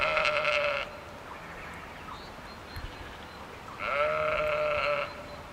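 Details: Sheep seen on a walk in Ballinrobe; one gives two harsh, quavering bleats, separated by a few seconds of quiet.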